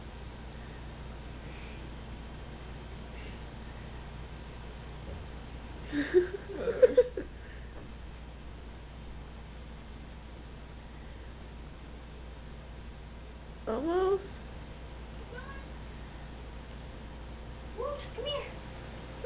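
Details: Pet cat named Moose with his head stuck in a tissue box indoors; a few short, wavering meows come in three bursts, early, middle and near the end, with a quiet room between them.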